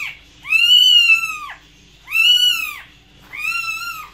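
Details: Cat meowing: three long, loud, drawn-out meows, each about a second long, rising slightly then falling at the end, spaced about one and a half seconds apart, with faint low background hum.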